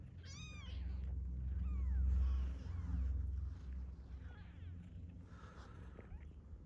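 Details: A fed domestic cat that stayed and later brought back several newborn kittens. A short high meow opens, followed by fainter, softer mews over a low background hum.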